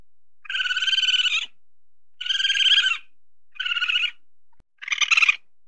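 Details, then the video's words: Tame musang, a weasel, searching for something to eat. It gives four buzzy, rapidly pulsed chattering bursts, each up to a second long, with the last one rougher and more broken. "SUARA MUSANG SEDANG MENCARI MAKAN (WEASEL SOUND)"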